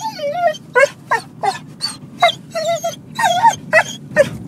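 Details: A worked-up dog lets out funny, high-pitched whining yelps nearly every half second, wavering and bending notes with a nasal, squealing quality, over a rumbling low background.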